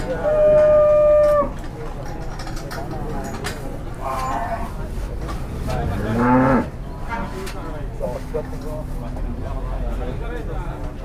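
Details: Raging cattle described as 'possessed', with a loud moo at the start and another strained bellow near six seconds, among clattering, knocking and shuffling sounds of a restless animal.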